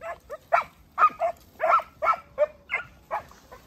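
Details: Segugio Italiano father Geko and his 8- and 17-month-old puppies barking in a fast, steady volley, roughly one sharp bark every third of a second, with tonal howling edges.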